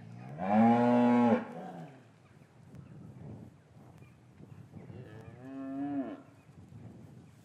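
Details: Winter afternoon in an English cattle yard, calves separated from their mothers, captured on paired Rode M5 microphones: a loud, full-throated bellowing moo at the start, then a shorter, softer moo with a falling end about four seconds later.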